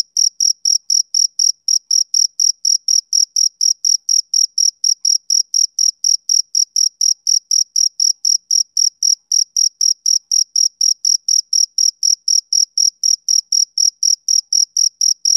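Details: Summer-evening chirping of a male cricket, a long unbroken run of crisp, high-pitched pulses at roughly four per second, very even in rhythm and loudness, with nothing else audible.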